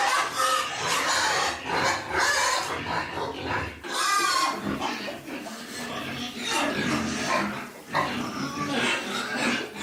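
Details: Litter of little piglets with their mother pig, squealing loudly and almost continuously in shrill rising and falling cries, broken by short pauses and a few grunts.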